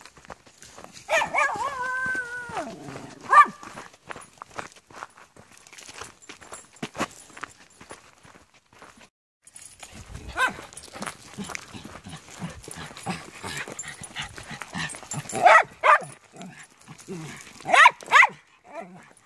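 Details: Dogs Rory, Floyd, Keira and Kijodi out on a walk at Comox Lake; a dog gives a few drawn-out, tonal barks with falling pitch near the start, then crunching footsteps and rustling dominate, with short sharp bursts later.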